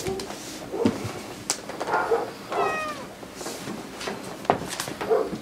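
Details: A 7-week-old male Siberian Husky puppy, meeting his father for the first time, gives short, high whines and yelps that waver up and down in pitch.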